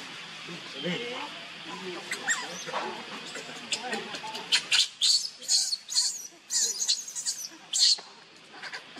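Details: Baby monkey Leo, hungry, cries to his mother for milk. People talk in low voices for the first half, then come loud, shrill, strained squeals in uneven bursts, some long and wavering, some short.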